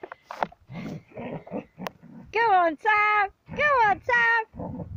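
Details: Border Collie playing with a ball; four tonal whining yelps, each bent and wavering, in two pairs, preceded by a person's encouraging speech.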